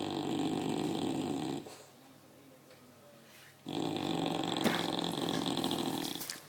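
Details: A tired English Bulldog snores in loud, rattling, breathy rasps separated by a brief quiet pause.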